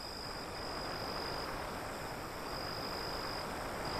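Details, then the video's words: Crickets beyond an alley near the sea: a thin, steady high-pitched trill runs through the whole stretch, half-buried under the broad, constant rush of breaking waves. "Crickets Sound"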